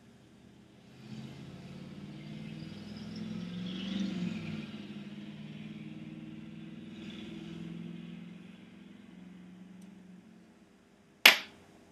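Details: A car engine swells and fades as a vehicle passes outside, followed by a single sharp knock near the end.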